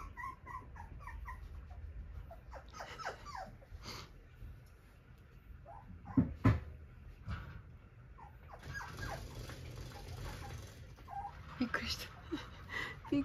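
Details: Friendly, lively Cockapoo puppy wearing a yellow-green ribbon gives scattered high whines and short squeaky whimpers, broken by thumps and rustling handling noises, with a quiet voice coaxing it.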